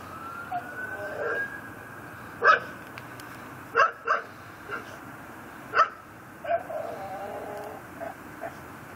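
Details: Pit bull tied up on a front porch at night, 10:30 pm on 18 December 2012 in Chalmette, Louisiana, said to bark around the clock; sharp, separate barks, some in quick pairs, over the wailing of a passing siren.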